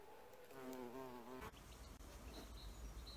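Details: Bee at an insect hotel, recorded in 4K: a low, droning buzz with rich overtones rises for about a second as the insect flies close, then fades into quiet rustling background noise.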